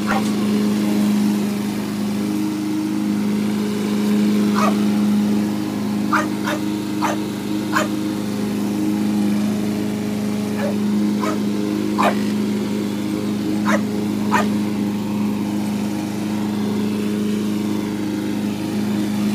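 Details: An English Bulldog attacking a lawn mower gives short, sharp barks in scattered bursts over the mower's steady engine drone.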